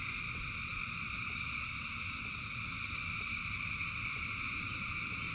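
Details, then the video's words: Frogs singing in rain as a huge crowd, their calls fused into constant high buzzing bands without pauses, over a bed of rushing rainfall. "Frogs in Rain 2 Hours of Frogs, Thousands of Frogs Singing"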